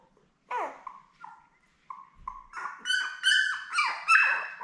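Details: Young Labrador Retriever puppies, born May 24, 2021 to Belle in a litter of seven, on a live puppy cam June 4: short soft whines build into louder, shrill squeals that rise and fall.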